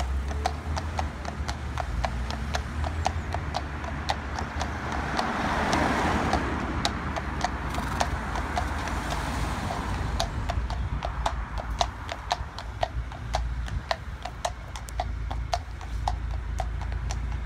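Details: A bomb-proof Friesian mare out hacking: crisp, clicking hoof clops on a hard road, a steady walking rhythm of roughly two beats a second, with a low rumble of passing traffic swelling midway.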